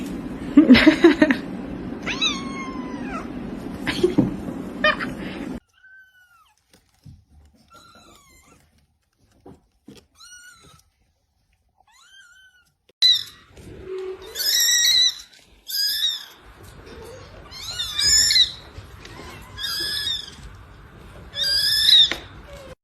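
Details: Cat meowing indoors: a few bending, falling meows over a noisy background open the recording, then a long near-silent stretch with faint chirps, then a run of high, squeaky meows repeated roughly every second.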